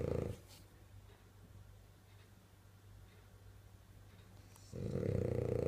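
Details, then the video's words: Dreaming French bulldog snoring in its sleep: a short rough snort at the start, several seconds of quiet breathing, then a strong buzzing, rattling snore near the end. "French bulldog snoring and dreaming"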